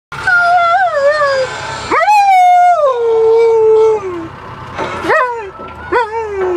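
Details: A pet Alaskan Malamute howls along to the song Thriller, his favourite, in long, wavering howls that rise sharply, then slide slowly downward.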